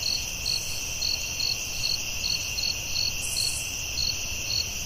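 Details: Forest crickets calling after dark: evenly spaced high chirps, roughly two or three each second, above a constant whining trill, plus a brief hiss partway through and low ambient rumble.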